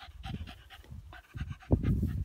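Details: Patterdale x Lakeland terrier, a male dog, panting in quick breathy bursts with low rough puffs that grow louder toward the end, while a person praises him nearby.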